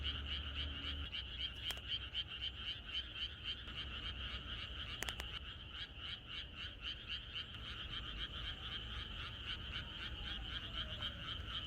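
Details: Countryside frogs calling together at night ahead of rain. A bright, evenly pulsed trill of croaks runs without pause, several callers overlapping, with a low hum at the start and a couple of sharp knocks.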